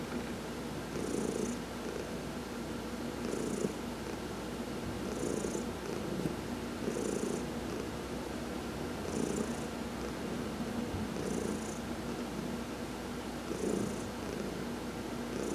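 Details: Domestic cat Heidi purring through a massage while sunbathing, November 19, 2020: continuous soft rumble rising and falling in regular waves about every two seconds, each peak carrying a brief airy breath sound.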